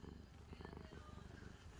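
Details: Drowsy calico cat Angttu purrs on a blanket after playing, a deep rhythmic rumble with rapid regular pulses throughout, recorded close indoors.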